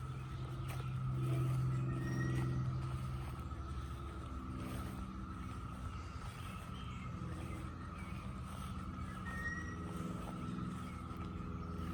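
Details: A deep, continuous rumble like a car or truck engine fills the recording, with a steady humming tone over it. No animal call stands out clearly above the traffic noise.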